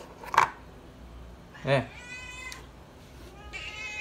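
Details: Pet cat Srintil cries for food indoors: a long, loud, wavering meow and then a shorter one, after a bump and a person's brief speech.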